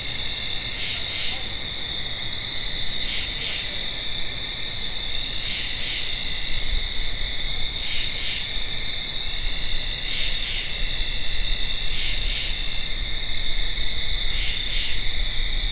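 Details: Treefrog giving short doubled raspy notes, repeated roughly every two seconds through the recording, with a continuous shrill insect hum and faint low rumble behind.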